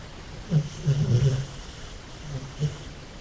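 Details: American Staffordshire terrier snoring in deep sleep; low rumbling snores in short bursts, a cluster in the first half and a couple of fainter ones near the end, with quiet breathing between.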